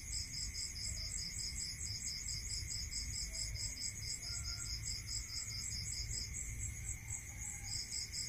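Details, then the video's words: Rural crickets calling after dark: fast, evenly beaded chirps in overlapping high bands stop briefly near the end, then resume. A steady mid-pitched whine and faint low noise sit beneath them. "Listening to Cricket Sound"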